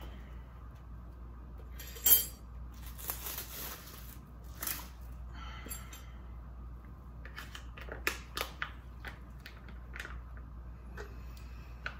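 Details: Quiet indoor room with scattered snipping, clicking and rustling handling sounds, and no animal voice present.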